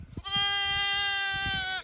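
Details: Zwartbles lamb on a farm in County Kilkenny, Ireland, bleating loudly at the farmer near feeding time; a single sustained, even, high-pitched bleat of about one and a half seconds, ending with a slight downward bend, preceded by light rustling.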